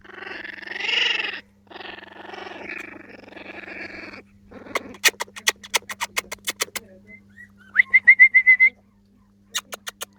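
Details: Four-week-old Jack Russell terrier puppies whine in several long, wavering cries. Rapid sharp clicks follow, then a brief series of thin, high, repeated squeaks.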